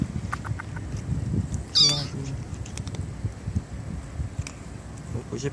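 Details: Single short, high-pitched meow from one of four stray kittens living in a residential street near a bus terminal, set against low traffic-like rumble and quiet human voices.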